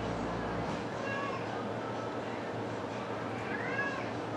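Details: Seven-week-old Exotic shorthair and longhair kittens from one litter of six, in Winnipeg, Manitoba, Canada. Two faint, thin, high meows, each gliding up and then down, rise over a steady background hum.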